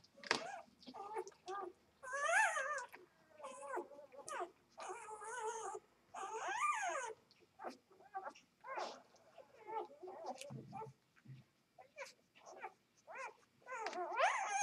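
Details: Two-day-old Vizsla x Labrador puppies, born to a Vizsla mother and a Labrador father, give high, arching squeals and whines in short bursts separated by brief quiet gaps, with several overlapping voices and a few lower grunts near the end.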